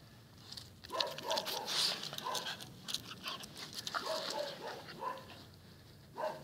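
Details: A seven-month-old Patterdale terrier gives a string of high, thin whining yelps, some short and some drawn out, spread across several seconds with brief pauses between them.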